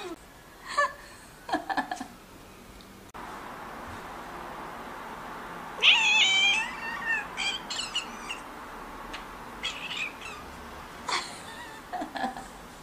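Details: Pet cat, one of four neutered household cats (Scottish Fold and Munchkins), crying in protest when its owner tries to pick it up indoors; several short meows, then a longer wavering wail, then a few brief whines, with light handling noise.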